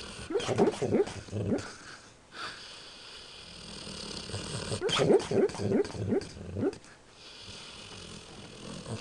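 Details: Sleeping dog having a nightmare, letting out muffled, breathy yips and whimpers in two quick bursts of four or five, separated by a few seconds of quieter breathing.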